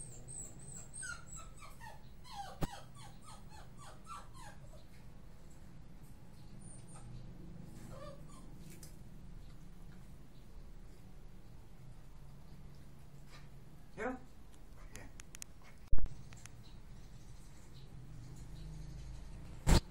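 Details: Miniature Pinscher named Arrow, indoors, giving a quick run of short, high, falling whimpers in the first three seconds, then scattered fainter whines; a low room hum runs throughout, with a few sharp knocks near the end.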